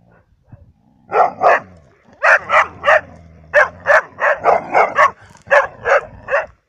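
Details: In Cyprus, Labradors and a hunter's dog bark loudly and insistently: about fifteen punchy barks in quick succession, grouped in pairs and threes, over faint low background noise.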